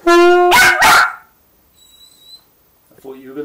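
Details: Teddy, a Westiepoo dog, reacts to saxophone practice indoors. A steady held tone gives way to two sharp, loud barks close together, then quiet, then a wavering howl-like whine near the end.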